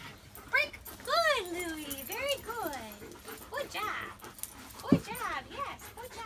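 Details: Louis, an eight-month-old French Bulldog with a dog trainer, gives a string of drawn-out whines that arch up and fall in pitch, several in close succession, with a sharp click near the end over a low background hum.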